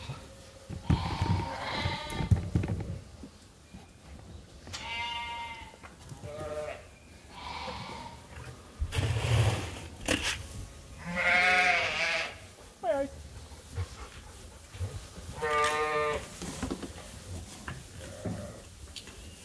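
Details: Domestic sheep and lambs at Ewetopia Farms waiting to be fed during daily chores. Several bleats overlap from different animals: wavering, nasal calls, some long and quavering, some short, arriving every few seconds with rustling and low farmyard rumble beneath.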